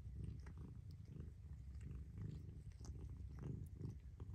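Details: Low rhythmic purring from a mother cat, rumble rising and falling about twice a second, light clicks and rustles.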